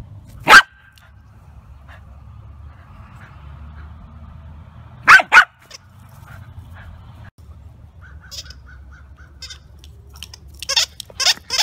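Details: Two-year-old male Welsh Terrier at a rescue in the Midwest, playing with his favourite big blue ball: one sharp bark early, then a quick pair of barks about five seconds later, followed by faint squeaks and clicks over a low steady hum.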